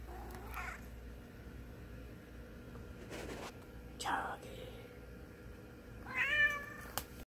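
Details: A cat gives a short rising mew near the end, preceded by rustling and brief muffled noises, with a low background hum throughout.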